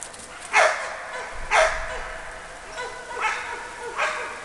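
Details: Ergo, a Labrador Retriever, barking on command in a training exercise: four sharp, loud single barks about a second apart, with a slightly longer gap before the third, and low background rumble between them.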